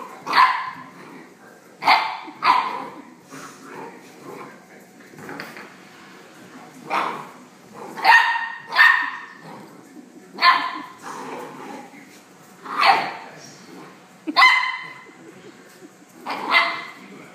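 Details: Ryder, a female Rhodesian Ridgeback puppy, plays with an antler and barks repeatedly: short, sharp, high yapping barks in irregular bursts, about a dozen over seventeen seconds, with quieter grumbles between them.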